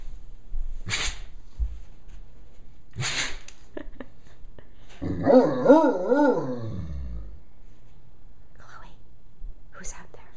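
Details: A female Great Dane gives a short, wavering howl that rises and falls, her way of "talking", between breathy sneezes.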